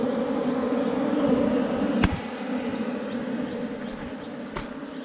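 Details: Honey bees swarming around a forest hive tucked beneath rocks as a honey hunter works. A dense, continuous low buzz is loudest in the first half, then eases slightly, with a sharp crack near two seconds and another near four and a half.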